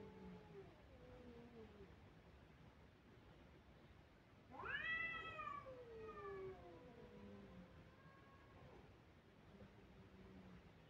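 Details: Crying kitten calls, a soft falling meow at the start, then a loud, strained cry that jumps up and slowly descends, trailing into fainter wavering mews.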